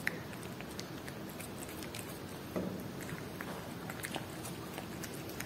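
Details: A cat chews Whiskas salmon, giving rapid moist clicks and small crunches, one sharper bite midway, against a quiet indoor background hum.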